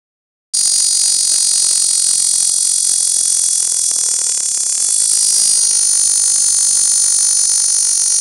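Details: A male Cactus Dodger cicada (Cacama valvata) clinging to a dead Tree Cholla skeleton in Canon City, Colorado, on the morning of June 18, 2013, sings a loud, steady, high-pitched buzz-saw song that holds without pause.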